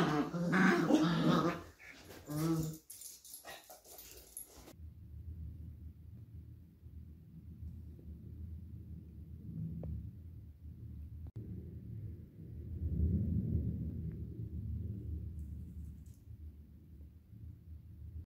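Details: Beagle puppies arguing and fighting it out: a few seconds of sharp, loud yips and scuffling open the recording, then a long, low, rumbling growl rises and falls steadily in the background until the end.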